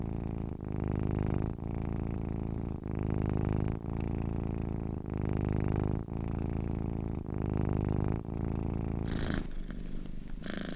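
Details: Content cat giving a loud, deep purr: a heavy rhythmic rumble swelling and dipping in cycles of about one second, then a short change to a softer, noisier sound near the end.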